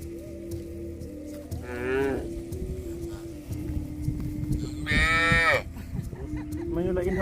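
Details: Cattle mooing: two drawn-out, harmonic-rich calls about three seconds apart, the second longer and louder, over a steady low droning background with rustling noise.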